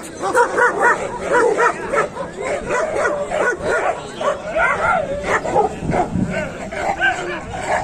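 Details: Several dogs bark in dense overlapping bursts at a market in Kohat, Pakistan, late November 2021, with Pakistani bully dogs and German shepherds present; continuous chorus of yapping barks and whimpers, people talking underneath.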